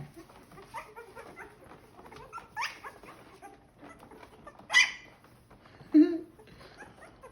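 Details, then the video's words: Young Corgi puppies, born on May 2nd, just starting to bark while their mother moves nearby. Short high yelping barks with soft whimpers and scuffling between them, and two loud, sharp yelps near the end. "Corgi Puppies Learning To Bark"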